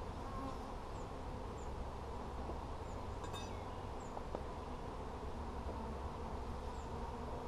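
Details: Bees hum steadily during a hive check on 17 July 2020, a thick low drone with a brief clicking rattle near the middle and light bird chirps in the background.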